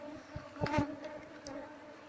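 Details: Asian honey bees (Apis cerana) from a wild hive under harvest keep up a continuous low buzzing drone, with a brief louder rustling burst near the start.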